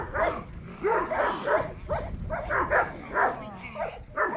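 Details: Presa Canario in protection training giving a string of heavy, hoarse barks at an uneven pace of roughly one every second or so, each bark dropping in pitch, over steady background noise.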